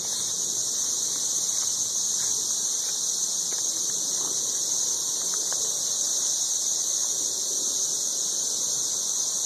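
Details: Ridiculously loud 13-year periodical cicadas in Nashville, Tennessee, calling from the trees while mating: a relentless high, buzzing whine, even and unbroken, with faint rustling below.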